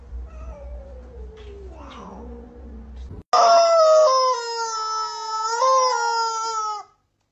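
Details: An angry, unhappy kitten lets out a long, loud, drawn-out wailing yowl, rich and harmonic, holding steady then wavering for about three and a half seconds after a brief mixed muffled opening.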